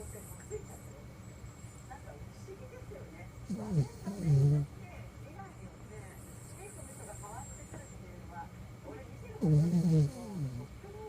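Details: Toy poodle snoring in its sleep: two low, groaning snores with a buzzy harmonic tone that dips and flattens, about six seconds apart, over a steady low indoor hum.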